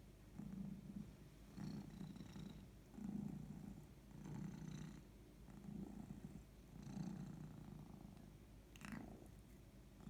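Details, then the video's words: Domestic cat named Maya purring while resting, also yawning; low rumbling purr in rhythmic bursts about every one and a half seconds as she breathes in and out, with a brief sharp sound near the end. "MAYA Cat just purring (and yawning)"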